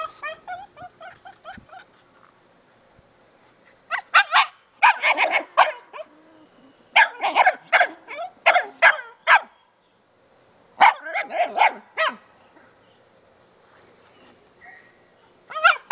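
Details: Jack the dog barks and yips in quick clusters on his first squirrel hunt in drive-building training. The loud high barks are separated by brief quiet gaps, and a faint whine is heard between bursts.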